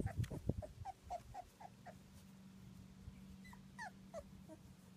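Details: Litter of two-week-old British Labrador Retriever puppies, black and yellow: handling thumps at the start, then a run of brief, high squeaky whimpers repeating every half second or so over a low steady hum.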